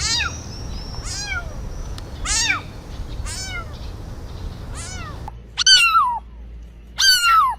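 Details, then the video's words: Series of short arched cat meows in a noisy setting, then two louder, higher, sharper meows near the end against a quieter background. "Cat Sounds | Sounds to attract cats"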